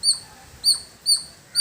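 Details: A squirrel's high, squeaky chirps in a village setting, four evenly spaced notes about half a second apart, each short and bright.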